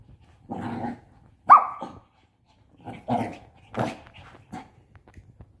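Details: A 5-month-old Shih Tzu puppy plays with a pop-up tent, letting out brief, yappy, harsh barks mixed with lower, rasping growls, uneven in rhythm and spaced about a second apart.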